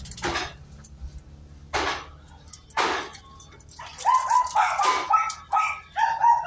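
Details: Miniature Pinscher at a stud session for natural mating: three broad noisy bursts spaced about a second apart, then a rapid run of tonal, slightly rising yelping whines, several per second.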